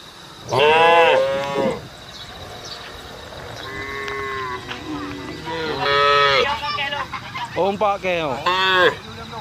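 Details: Cattle on a road mooing to call their herd: a loud rising-falling moo, then softer, longer lowing, followed by further moos close together near the end, over a low hissy background.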